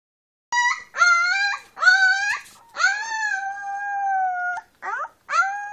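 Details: Brown female Leonberger puppy taking her first steps with eyes newly open, giving drawn-out tonal howling whines that rise and hold steady, in several separate bursts with short silences between.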